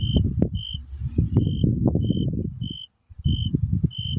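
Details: Summer crickets giving short, high, clear chirps repeated about every 0.7 seconds, steady and even, over heavy low rumbling noise that cuts out briefly near the middle.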